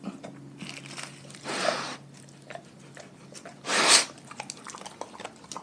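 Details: Pack of dogs eating their raw food diet indoors: two loud, sharp crunching bites about two seconds apart, with quiet, faint clicking between them.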